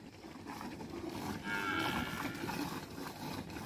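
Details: Friesian cow in her second lactation, kept on a farm near Sargodha in Punjab, Pakistan, lowing once in a short, steady moo lasting about a second over a constant background hum.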